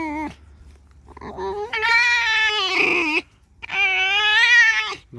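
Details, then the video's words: Pet fox indoors, come over to be scratched, squeaking: a brief squeal, then two long, strained, whining squeals rich in harmonics, the first about one and a half seconds, the second shorter, with a quiet gap between. "Алиса - лиса. Скрипит"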